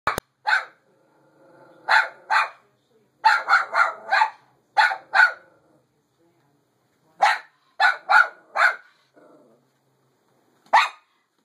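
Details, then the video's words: Female dog barking at her own reflection, short sharp barks in clusters of two to four, separated by pauses of about a second, some quiet gaps between groups. "What is she barking at?"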